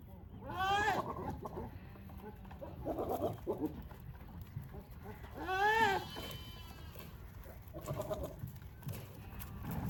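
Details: Goats in the mating season, males competing and calling to win females: two strong wavering bleats a few seconds apart, with shorter grunting calls between them and steady low background noise.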